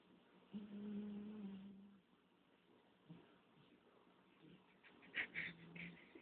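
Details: Tortie, a pet cat, snoring while asleep indoors: a low droning breath sound held for over a second, then softer rasping breaths and a brief scratchy burst near the end.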